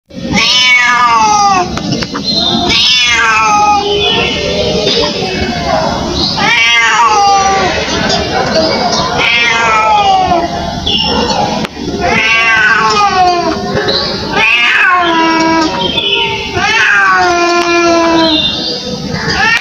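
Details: Indian street cat crying: loud, repeated harmonic meows, many rising then falling, coming in quick succession across the whole stretch with brief gaps, over a steady background hum.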